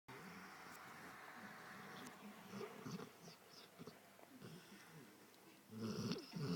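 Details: Pet Rottweiler asleep and snoring, seemingly dreaming of chasing sheep: soft breathy snore bursts, growing into louder, voiced, whiny snorts toward the end.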